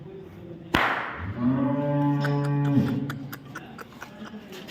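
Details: Cow at Chopra dairy farm in Samora village, Karnal, Haryana: a sharp bang, then one steady, low, droning moo lasting about a second and a half with rich harmonics, followed by voices and faint clicks.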